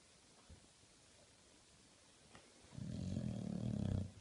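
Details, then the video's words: English Bulldog snoring while awake: after a quiet stretch, a rough, low, rattling snore swells for about one and a half seconds. "English bulldog snoring"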